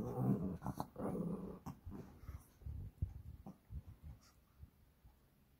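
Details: Pair of Shih Tzu brothers playing at home on 12 April 2023: rough, low grumbling growls in uneven pulses, loudest at the start, breaking into shorter huffs and snorts that trail off.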